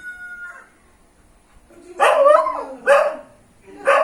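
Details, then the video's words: A local dog greets an unknown relative with friendly barking: loud, rough barks, the first drawn out with a falling tail, then two shorter ones roughly a second apart, after a faint tone at the start. "A local dog barks friendly to an unknown relative"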